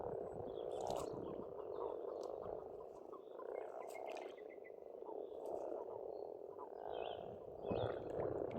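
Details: Frogs calling together at a pond in Estonia in spring: a dense, continuous low croaking chorus that swells and fades. Faint bird calls sound higher above.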